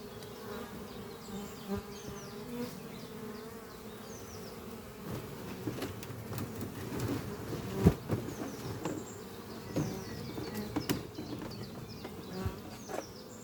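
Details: Busy honey bee colony in a horizontal oak-chest hive under trees, spring morning with workers carrying pollen; steady low buzz broken by many sharp clicks and knocks close by, faint birds chirping high above.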